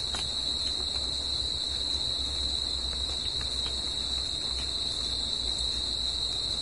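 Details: Crickets in nature at night, a continuous piercing trill at a single high pitch, steady throughout, with a thin upper overtone, light low rumble and a few sharp clicks.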